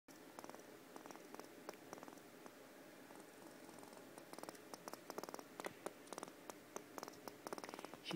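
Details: Pet squirrel, a female kept indoors, purring hard: a soft rapid stream of clicking pulses, sparse at first and then thickening into dense bursts over about eight seconds, in a quiet room.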